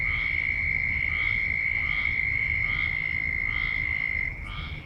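A loud frog chorus: a steady high ringing tone with pulsed calls repeating about once a second.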